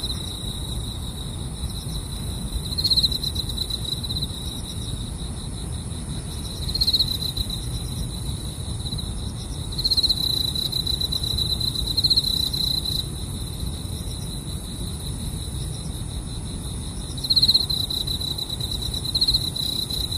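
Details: Grass insects calling during car camping, a steady high shrill trill holding one pitch with a fainter upper band, swelling briefly every few seconds over a constant low rumble.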